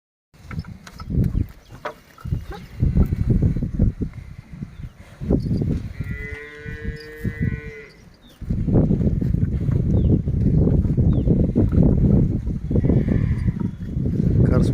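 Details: Hallikar heifers work in a field with a young boy. One steady, sustained moo lasts about two seconds and rises above loud, low rumbling and clattering noise. Voices are heard nearby.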